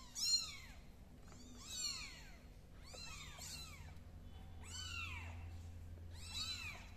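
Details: A kitten belonging to MiMi crawls across the floor, giving thin, high arched meows in bursts roughly every one to two seconds over a low background hum.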